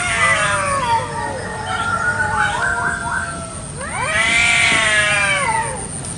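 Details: Village cats fighting over territory in a garden one morning; a long wavering moan, then a loud rising-and-falling howl that swells and fades.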